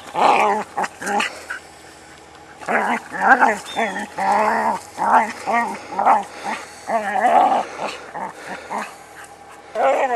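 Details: A Border Collie perched on a rock, herding the rock, gives loud, short harmonic barks and yelps in quick runs, a brief lull near the start, then steady bursts of rising-falling voiced calls to the end.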